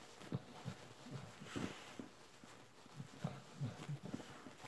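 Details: An adult Bull Terrier suckles on a plush panda toy, making quiet, rhythmic sucking and smacking sounds.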